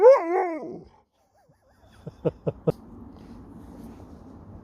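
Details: Alaskan Malamute talking back, opening with a short wavering moan that falls away, then a pause and four quick sharp knocks or taps against a low background hum.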